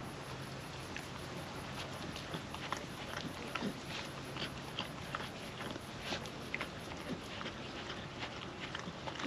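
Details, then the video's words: Hungry female puppy eating wet food from a trap-style food mat on a windy day; crisp licking and chewing clicks in loose bursts over a steady low hum and soft hiss. "Wet food ASMR dog eating sounds"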